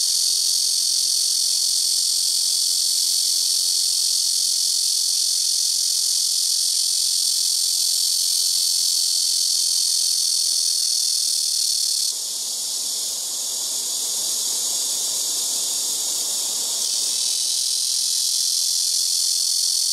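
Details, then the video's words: Cicadas (말매미, Cryptotympana atrata) in rooftop and nearby trees take turns filling the air with a very loud, unbroken, high-pitched buzzing drone. "시끄러운 매미우는소리"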